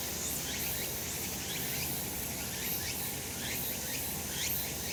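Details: Summer mountain cicadas in sunshine: a continuous high hiss of insect song carrying regular pulsed, slightly rising phrases about once a second, with steady low ambient noise beneath.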